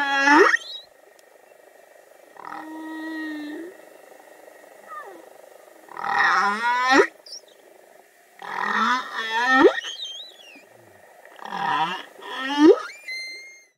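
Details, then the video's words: Male humpback whale song for wooing mates on the Great Barrier Reef, Australia: a series of rising whoops, low groans and wavering tonal moans, separated by brief pauses, with a few high squeaky sweeps. "Humpback whale serenades"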